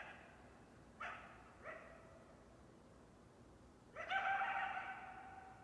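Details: Coyote making two quick rising yelps, then after a pause a longer, strong harmonic bark-howl that wavers and fades out.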